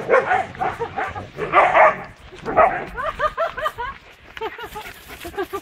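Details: Old woolly Siberian Husky named Szuszu playing in a forest near Balatonalmádi, Hungary: bursts of excited barks give way to a rapid series of short, high, upward-bending yips and whimpers, with a person laughing and talking in Hungarian.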